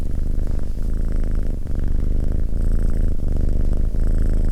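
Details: Cat purring in a deep, steady rumble, the low vibration pausing briefly about every second as the breath turns, with no other sounds.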